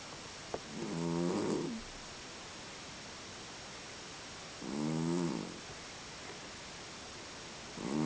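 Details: A sleeping domestic cat, the owner's eldest, snoring indoors: three slow, rough, harmonic breaths, each lasting about a second and spaced roughly three to four seconds apart, with quiet pauses between and a brief click near the start.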